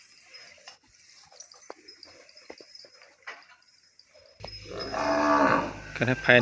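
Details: Young bovine calling for its mother after separation in a pen: after several seconds of quiet rustling and faint knocks, a sudden loud, harmonic bawl swells and holds for about two seconds before cutting off.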